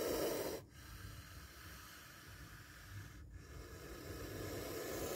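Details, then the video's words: Spectacled cobra hissing, with a narrow escape from its bite: a loud breathy hiss for the first half second stops abruptly, then softer rushing exhalations follow and swell again toward the end. "Spectacled Cobra Snake Sound"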